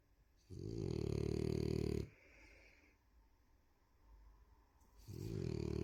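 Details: A female French Bulldog snores loudly, each breath a deep, buzzy rattle with a quiet pause between.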